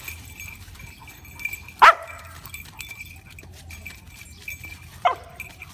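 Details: Two barks from Shiba Inu dogs facing off against a cat: one loud, harsh bark, a pause of about three seconds, then a softer second bark, with a continuous high electrical-sounding whine behind them.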